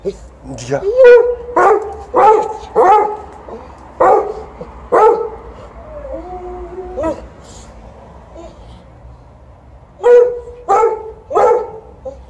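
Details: Alaskan Malamute at home, sharing the household with a Golden Retriever, wanting petting when its owner returns; drawn-out, wavering whining howls come in a quick run of bursts, pause, then resume, with people talking softly between them.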